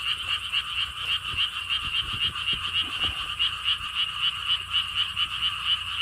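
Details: Chorusing frogs at a lotus pond theme park in Siheung, Korea; many overlapping rapid croaks pulse steadily about four per second, a rhythmic rattling chorus over quiet, faint low rumble.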